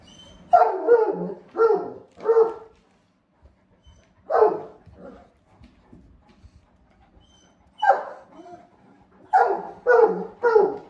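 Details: Great Pyrenees named Blanche, a usually quiet dog, barking in a rare invitation to play; bursts of barks in groups of three, one, then four, separated by quiet pauses, with a faint background hum.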